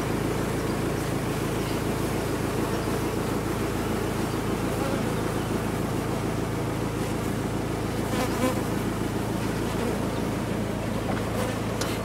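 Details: Large honey bee colony being removed from a sealed-off chimney, a dense, continuous droning hum of countless wings with a steady low tone and no pauses.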